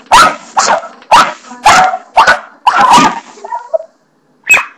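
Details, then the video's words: Barney the dog barking at the doorstopper in the bathroom: six quick, harsh barks, then a soft whiny trailing sound, a short silence and one final sharp bark. "barney barking at the bathroom doorstopper"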